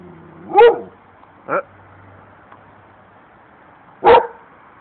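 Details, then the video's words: Abruzzese sheepdog defending its owner against strangers with three sharp barks. The first and last are loud and the middle one is softer, with a long pause before the final bark. The background is quiet. "TERRIBILE PASTORE ABRUZZESE DIFENDE IL PADRONE!!!"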